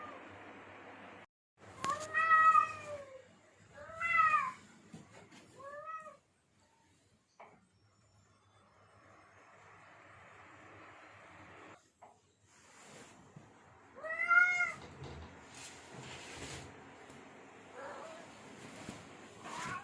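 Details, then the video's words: Male domestic cat in heat calling to lure females: three wavering meows early, then a long quiet stretch with background noise and rustling before one more drawn-out meow near the end. "Suara kucing jantan birahi _ suara pemikat kucing betina"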